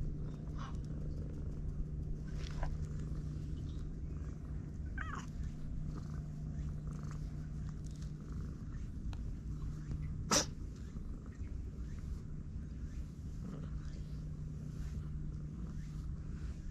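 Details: Stray cat on a much-talked-about cat island purring while being stroked, other cats emerging nearby, filmed with a GoPro; steady low rumbling purr runs throughout, with faint scattered clicks, a brief chirp and one sharp tap midway.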